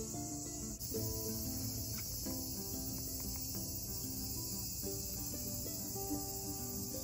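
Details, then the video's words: Cicadas drone in a steady, high-pitched buzz in summer heat at Iwakuni Castle, Japan, over soft plucked-string music. "夏を感じる。セミの鳴き声❗️暑い😵"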